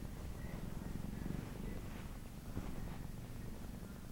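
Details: A male Siamese cat purrs steadily, a low continuous rumbling throb.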